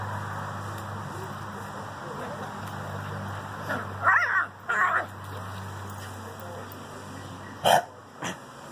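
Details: Miniature Schnauzer confronting a barn cat: two short, harsh barks just after the four- and five-second marks, then a sharper single burst near the end, over a steady low hum and faint background noise.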